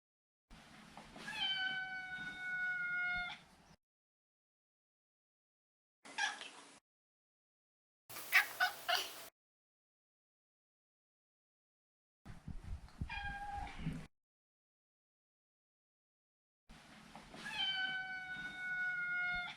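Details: Neutered male Maine Coon Maro meowing repeatedly: long level tonal meows with rich harmonics at start and end, between them brief chirpy and breathy noises and a short falling mew, with silent gaps.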